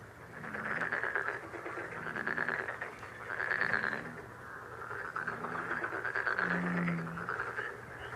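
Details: Frogs calling together, called a lucky frog sound: a dense, buzzy, rapidly pulsed chorus swelling and fading, with a few deeper, separate croaks in short groups underneath.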